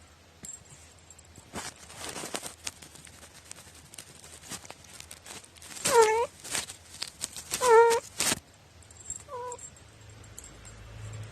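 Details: Quirky-voiced pet cat, recorded 21 April 2018. Three drawn-out, wavering, moaning meows come near the middle and end, the third softer. Rustling and handling noises come before them.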